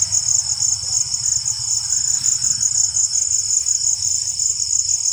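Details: Steady high-pitched cricket chorus after rainfall, a fast buzzing trill of rapid pulses without a break, over a soft low hum.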